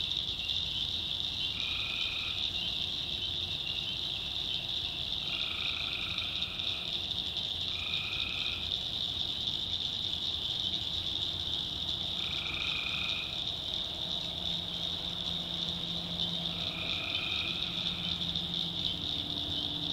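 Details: North Carolina backwoods swamp at night with tree frogs: several brief pulsed trills scattered at irregular intervals, layered over an unbroken high-pitched chorus drone, with a soft low tone near the end.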